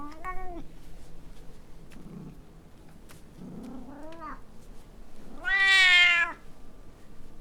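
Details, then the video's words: Domestic cat Rosalie, recorded on a Zoom H4N, makes a short meow, then soft low murmurs, then a single loud, drawn-out, bright meow near the end. "Cat Meowing"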